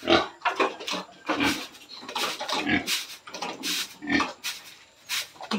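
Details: Pregnant sow at 112 days of gestation, close to farrowing, on a farm; rough, noisy grunts and snorts come in quick bursts about every half second to second throughout, with no other clear sounds.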